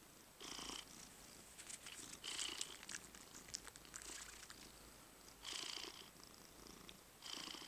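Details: Purring from a pet cat under massage, heard as breathy, rasping pulses that rise and fall unevenly, a few long bursts separated by softer stretches, in a quiet indoor setting.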